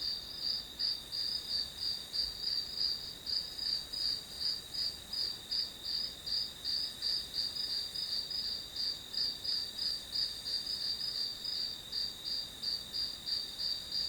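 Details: Grass insect calling used as white noise for studying: rapid, shrill pulsed chirps on one high pitch, steady for the full stretch, about three pulses each second with faint overtones above.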